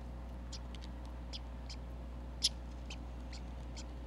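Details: A red squirrel at a Minnesota backyard feeder with food bowls, recorded by a sensitive microphone, gives short, sharp, high chips at an uneven pace, one louder than the rest; red squirrel.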